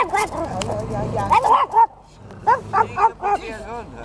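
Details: Chihuahua named Zorro, a dog seeking a new home through Hittehund, gives a quick series of short, high, yappy barks, about four in a second, after a stretch of Swedish speech.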